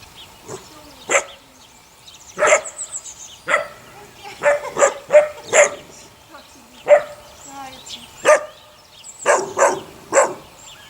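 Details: Sunny's litter of six puppies, eight weeks old, gives irregular high-pitched yaps, single and in quick pairs, roughly forty per minute against a quiet background.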